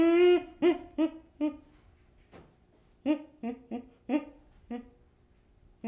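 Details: Baby chimpanzee making low, soft hoots, one long drawn note and then short pulses spaced irregularly, with faint breathy sounds between them in a quiet room.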